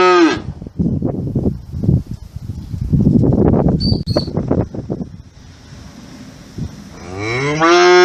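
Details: Moo of a cow cut off at the start, followed by several seconds of rustling and thudding farm noise, then another loud, harmonic moo building at the end.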